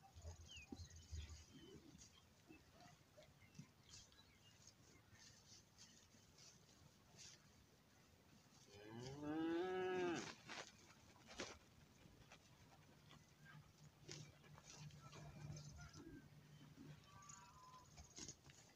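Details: A cow lowing in a cattle herd with calves and bulls: one loud drawn-out moo of about a second and a half mid-clip, rising then falling, set among scattered clicks, faint bird chirps and rustling.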